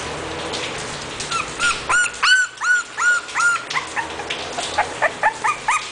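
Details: English Bulldog puppy from a breeding kennel, giving a rapid series of high, arching whimpering yelps, roughly three per second, some overlapping, after a quieter start.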